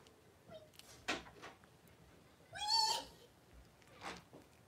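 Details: Cavalier King Charles Spaniel litter of five blenheim puppies with their mother Paris, indoors in a puppy pen, January 2023. One drawn-out, wavering whining squeal mid-clip amid quiet rustling and soft background murmurs.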